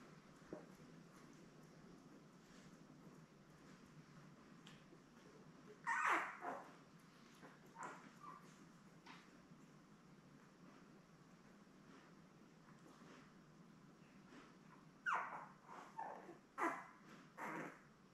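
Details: Newborn Labrador Retriever puppies, seven in the litter born May 24, 2021, with their mother Belle on a live puppy cam; scattered short whimpers and yips break through a quiet room hum, clustering around six and fifteen seconds.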